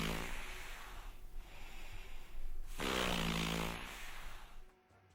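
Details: A seal, said to be the southernmost seal species, gives low, wet snorting grunts, then a drawn-out harmonic moan near the end, with faint background music.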